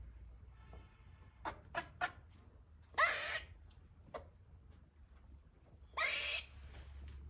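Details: Female rescue squirrel in heat giving mating calls and barks while feeding: three quick sharp clicks, then two longer raspy hissing bursts about three seconds apart, a single click between them, and quiet background.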